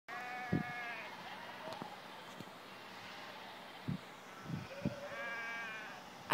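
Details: Sheep in Iceland, a large flock calling together: two wavering, nasal bleats stand out near the start and end, with fainter bleating behind and a few dull thumps and clicks between.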